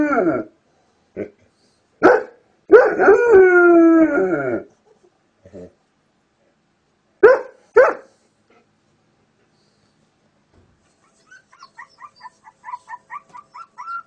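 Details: Dog reacting with amusement to various sounds: brief sharp vocal bursts, then a drawn-out wavering howl lasting about two seconds, more short yelps, and a quick run of faint high chirps near the end.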